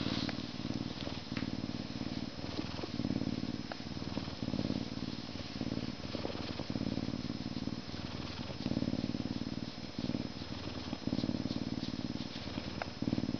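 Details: Humanized but not domesticated male Canada lynx, born at a zoo in May 2011, purring during a scratching session before feeding; continuous pulsed low purr, rhythmic and steady, with occasional soft clicks.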